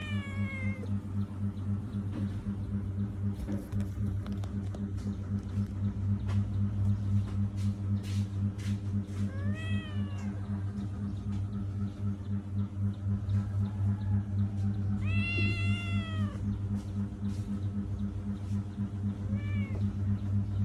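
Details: Pet cat in a funny struggle gives four separate meows, some rising then falling and some short. They are spread several seconds apart over a constant low droning hum, with scattered clicks and knocks.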